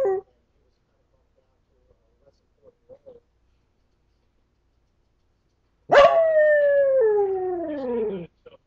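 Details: A pet dog howling, as it does whenever it thinks it is alone: after a mostly quiet stretch with faint taps, one long harmonic howl starts high and slides steadily downward over about two seconds, then stops abruptly.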